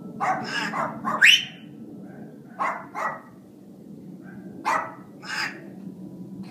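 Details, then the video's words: Mac, a family dog, barking in a home while Buddy, a 6-year-old African grey parrot, tries to get him to stop: a run of sharp barks, one rising whistle-like squeal near the middle, then two more barks after a pause. "Buddy trying to get Mac to stop barking."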